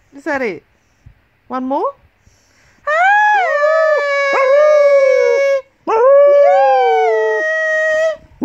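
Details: Golden English Cocker Spaniel, female, eight years old, singing with her owner during a morning song. Two brief sharp sliding yelps open, followed by two long sustained howls with slight pitch wobble and a soft falling tail.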